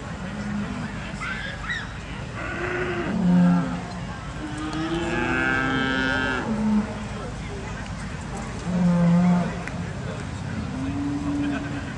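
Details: Charolais beef cattle at the agricultural show in South Inch Park, Perth, Perthshire, Scotland, giving two short low moos amid steady crowd and showground background noise.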